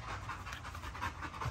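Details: A big Great Dane panting near a fence. Quick, breathy huffs come about four times a second, steady and soft, and a man's voice is heard faintly at the end.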